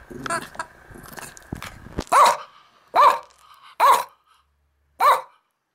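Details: Max, a Yorkshire terrier-schnauzer mix born June 13th, 2006, barking during morning play: muffled scuffling and a brief voice, then four short, sharp barks spaced about a second apart, each cleanly separated by silence.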